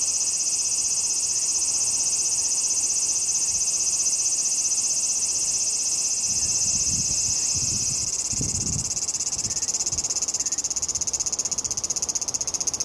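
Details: Late-season large brown cicada giving a constant high sizzling buzz, with a few soft low thumps partway through and the sound fading slightly toward the end.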